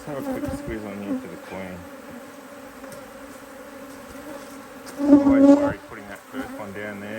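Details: A steady drone of honey bees at a HiveIQ hive in Australia, nearly mid-Autumn 2023, opened to add another box. A person talks at the start and the end, and a louder swell of buzzing rises in between.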